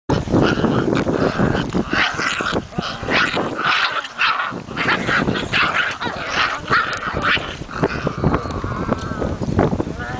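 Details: Kangal and Akbash puppies from Sivas play-fighting: dense, continuous growling snarls broken by sharp, high yips and short barks, busy bursts packed through the whole stretch with no quiet pauses.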